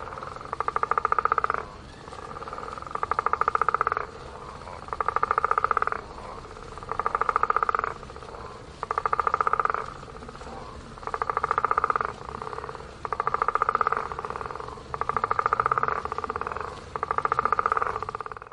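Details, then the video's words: Frogs by a pond give rattling, pulsed croaks in bursts of about one and a half seconds, repeated roughly every two seconds, nine bursts in all, over a faint steady background hiss. "Frogs croak by the pond"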